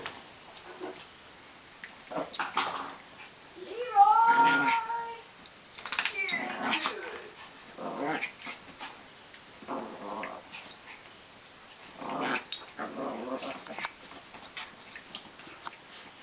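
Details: Two two-year-old Chihuahuas fighting on a bed, the smaller Coala and the larger white-patched Sheppa; bursts of snarling growls and yips come in uneven clusters, with one sharp yelping whine and a few human words between.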